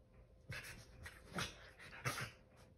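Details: Male Keeshond rolling around on a couch indoors, giving three short breathy whimpering snuffles about every three quarters of a second, with soft rustling between.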